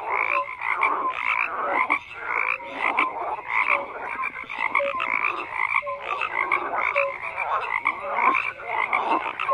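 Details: Frogs calling in a continuous crowded chorus, harsh pulsed croaks overlapping with scattered short whistle-like notes, no pause across the whole stretch.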